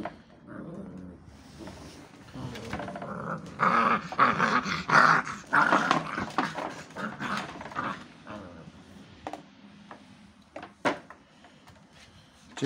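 Pit Bull puppies growl and snarl in rough, rapid bursts while playing tug, with a person urging them on.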